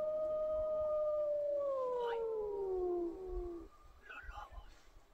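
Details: During an autumn 2022 elk hunt in the frozen mountains near Craig, Colorado, a gray wolf pack gives a long, steady howl that slowly slides downward before fading; bull elk bugling is also heard in the area.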